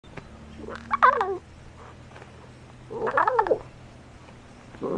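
A lion cub gives two high, wavering mewing calls, each bending up and then sliding down.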